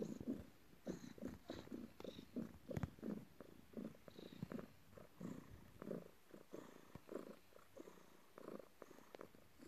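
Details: Domestic cat named Morning purring while kneading its owner after work, indoors; steady low rumbling purr in rhythmic pulses, each breath cycle roughly every half second, with faint soft clicks and rustling in the background.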